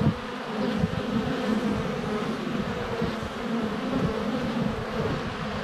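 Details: Steady buzzing of honey bees swarming close around a hive entrance on a sunny February day, recorded with a GoPro Hero 7 Black. Constant low, wavering drone of many wings, gently rising and falling throughout.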